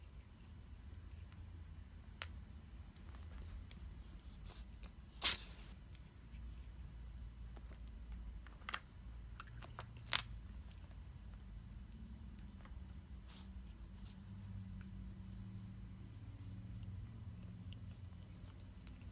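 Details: Bengal cat sneezing while fighting with a string of lights: one sharp, explosive sneeze bursts out about five seconds in, then a few fainter clicks and soft rustles over a low, quiet background.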